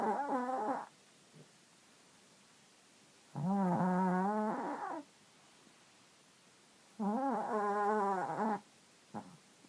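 A sleeping Chihuahua–Jack Russell cross snores in squeaky, wobbling whines, like air escaping a balloon.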